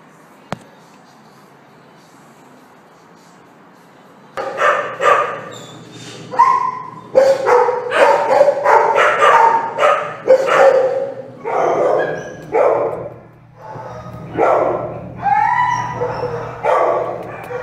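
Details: American Staffordshire Terrier puppies born at an animal shelter: after about four seconds of quiet, a run of high, yappy barks and yips starts, several voices overlapping in quick, irregular bursts.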